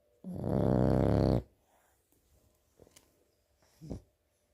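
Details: Sleeping French bulldog puppy giving one long, rough snore of about a second, followed by two soft, short breathy snorts in a quiet room.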